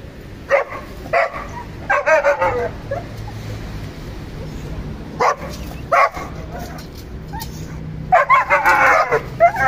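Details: Barking from a household German Shepherd and Boxer: clustered yelping barks at the start, isolated single barks in the middle, and a dense burst of high, harmonic yips near the end.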